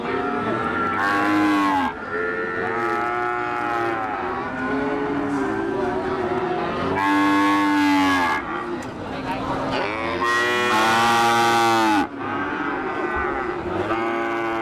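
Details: Limousin × Ongole crossbred cattle calf, recorded 18 May 2018 during Ramadan, with loud, drawn-out harmonic moos rising and falling, several overlapping from other cattle, plus constant background chatter and noise.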